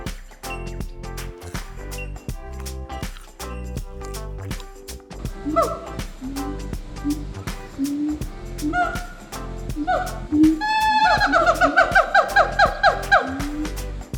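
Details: A long-bonded adult Siamang pair at Melbourne Zoo, a 42-year-old and a 27-year-old partnered since 2001, call together in rising whoops that speed up into a loud, ringing duet said to carry 1.5–3 km.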